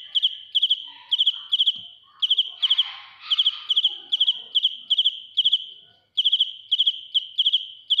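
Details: Cricket (dế mèn) heard close and loud, chirping in sharp high bursts of three or four pulses, regularly spaced, with a short gap near the end; soft rustling noise underneath partway through.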